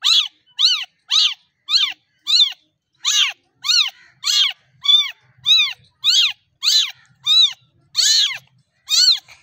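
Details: A small kitten meowing for milk and talking to its mother cat; fifteen short, high, arched mews repeat about every half second, each rising then falling, in a quiet room.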